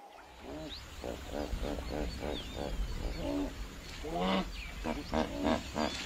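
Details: Lion cubs following their mother everywhere give a rapid run of short, nasal, harmonic mewing calls, several each second, some wavering up and down, growing louder and longer toward the end over a low rumble.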